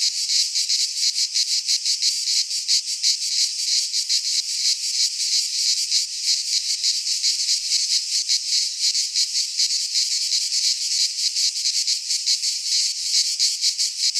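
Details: Continuous cicada song from a Greek pine forest in midsummer, an intense high buzzing wall of sound with quick, somewhat irregular pulsing and nothing else audible.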